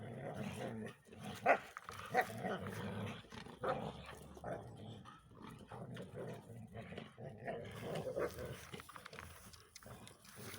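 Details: A Belgian Tervuren growls low and rumbling, with short sharper bursts, refusing to give its ball to a bull terrier cross companion.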